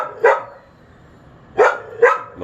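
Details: Unsupervised dog outdoors barking at a neighbour it can hear, recorded on May 28, 2022 at 11:43am from a bathroom window; three sharp barks, one early, then a pair about half a second apart, over quiet background.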